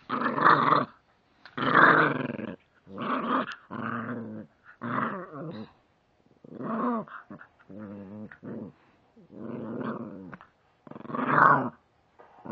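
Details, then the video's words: Angry female puppy growling in a run of about ten rough, throaty bursts, each roughly a second long, separated by short silences, some bursts rising into a snarling edge. "angry puppy"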